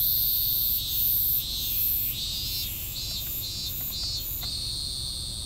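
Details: Cicada singing an unfinished song that stops short; loud buzzy pulses at first, then a series of shorter rhythmic swells that fade off, with steady high background hum.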